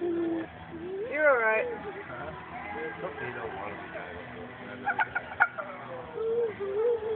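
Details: Conan, a Staffordshire Terrier, cries with a wavering, warbling whine that rises and dips like a wild turkey's gobble, then softer whines over steady background noise and a few sharp knocks.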